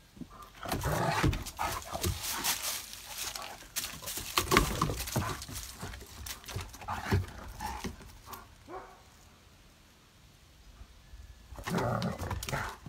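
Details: Winnie, a one-year-old spayed female dog weighing 35 lb, plays with Ike; rough, rumbling growls and scuffling bursts come in clusters, fade to a quiet stretch near ten seconds, then return with a short noisy flurry.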